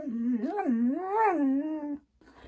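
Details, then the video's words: Female Siberian Husky 'talking' back indoors after a smart speaker says she is bad at kung fu; a two-second wavering, sing-song howl with rising and falling swoops, ending abruptly. "My HUSKY Talks To ALEXA"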